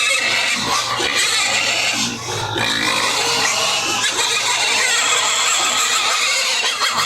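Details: Pigs on a household farm during feeding, a loud, unbroken mass of rough squeals and grunts from several animals, with a faint low hum underneath.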